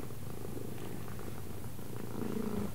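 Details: A cat that knows left from right keeps up a low rhythmic purr, and a human voice briefly sounds over it near the end.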